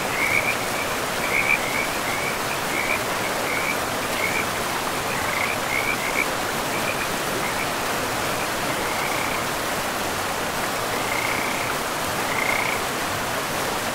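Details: Frogs along a forest river give clusters of short, high, chirping calls, busy in the first half and then sparser, with a few later bursts, all over a constant roar of rushing water.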